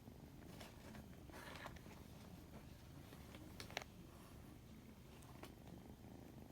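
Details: White odd-eyed kitten giving a big yawn, purring in a steady low rumbling pulse throughout, with scattered soft clicks and rustles on top.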